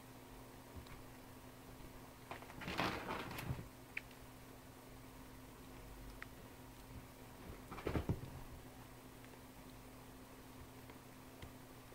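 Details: Quiet indoor room with two bursts of rustling and knocking as four-week-old kittens play, over a low steady hum, with no audible vocalisation.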